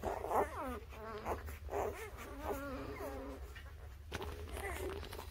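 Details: Newborn puppies, from birth to three weeks old, give high, wavering squeals and whines in several short bursts, each sliding up and down, over a steady low room hum.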